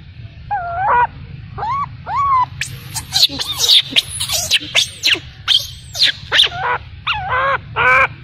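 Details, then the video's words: Baby macaque abandoned by its mother, crying: a run of high, wavering, harmonic whimpers and squeals, some arched and some sliding downward. They come in quick bursts over a steady low hum. "Poor baby monkey was abandoned by mother monkey, crying heartbreakingly"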